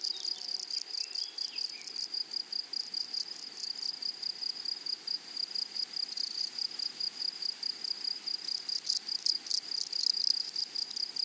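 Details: Meadow grasshoppers on a flowering prairie produce a fast, steady, high-pitched pulsing trill. Brief faint chirps appear early on, and buzzy rasping flares out near six and nine seconds.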